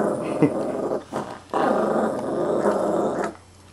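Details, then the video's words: Chihuahua mix putting on a tough act, growling indoors; a rough, low rumbling growl in two main bursts separated by a brief breath, fading to quiet at the end, with faint human voice. "Psycho Chihuahua with an attitude?! Nope--All bark, no bite"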